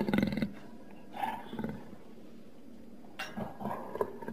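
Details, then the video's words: Jaguar letting out a short, loud, low roar at the start, then fainter rasping growls after a pause, in a quiet setting. "Jaguar sound effects"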